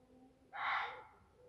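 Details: A Reeves's muntjac, about 20–30 yards away standing in bracken, gives one harsh, hoarse bark that reverberates through Sherwood Forest on a hot, sultry July 9th evening in tinder-dry woodland, fading against a quiet background.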